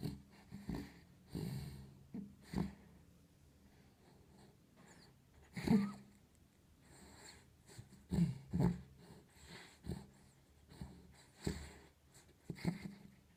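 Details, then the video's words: A dog sound asleep in a quiet room snores and snorts unevenly, with low rumbling breaths and wheezy snorts spaced one to three seconds apart, some louder and rougher than others. "Просто моя собака храпит"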